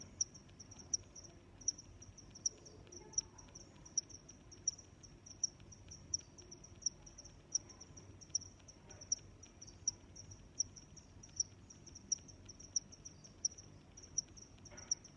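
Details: Cricket chirping: short high-pitched chirps repeated steadily about every three-quarters of a second, with fainter chirps from other crickets between them, over a quiet low background hum.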